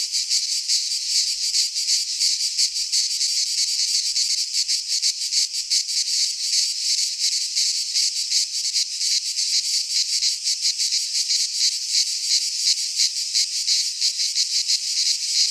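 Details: Chorus of cicadas in a pine forest in Greece during midsummer, a continuous harsh rasping buzz with rapid, slightly uneven pulsing throughout, high and shrill, with nothing else audible.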